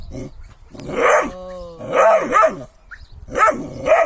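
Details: Kangal barking in three loud clusters of harsh barks, separated by a drawn-out, steady tonal whine or growl, with little other sound around.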